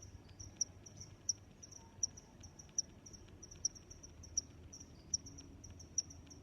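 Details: Cricket chirping: short high-pitched pulses repeated at a steady pace of roughly one and a half per second, each a bright tick over a continuous thin trill, with a low quiet background hum.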